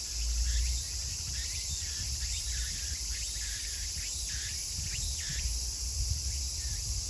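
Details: End-of-summer chorus of Meimuna opalifera in Kawagoe, Saitama, Japan, 24 August 2020. Rhythmic, sweeping phrases recur in quick succession, partly blurred by a constant shrill background hiss and low-frequency rumble.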